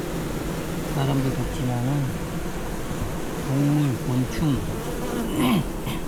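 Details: Honey bees clustered at the hive entrance and sides, unable to cope with heatwave heat; low droning hum with several louder wavering, rising and falling buzzes of bees flying close by, some faint background noise.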